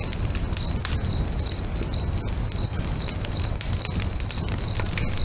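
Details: Crickets singing beside a lake at sunset: short, pure high-pitched chirps about twice a second, steady and even, over the crackle and pop of a bonfire and a low background rumble.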